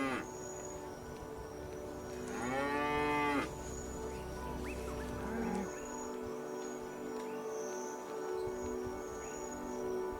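A Cape buffalo gives one drawn-out, moaning bellow that rises and falls over about a second, set against a steady musical drone with faint chirps afterward.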